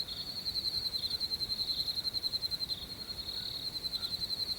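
Crickets call together at night, making a continuous high-pitched trill that pulses several times each second. The chorus holds a steady pitch throughout, over a faint low rumble of background noise.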